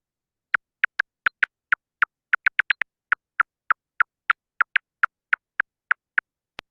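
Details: Silver-haired bat (Lasionycteris noctivagans) feeding in the valley, echolocation made audible by a bat detector as dry, sharp ticks about three per second, briefly quickening; the feeding buzz marks an area important for foraging.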